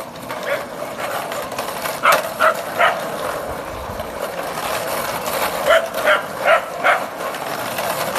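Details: Scottish Terriers playing in a back garden in Guildford, Surrey, a pack of Scotties with a Sealyham and a Jack Russell spinning a 12-year-old Scottie on a bread trolley; short sharp barks in clusters near two and six seconds over rattling noise.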